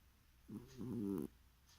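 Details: A cat snoring in its sleep: a single drawn-out, buzzy, low rasping breath lasting under a second, heard in a quiet room.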